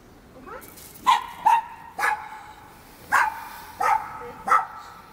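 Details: Chihuahua and miniature pinscher during stay training, sharp high yapping barks, six short harmonic barks spaced roughly half a second to a second apart after a soft opening whine.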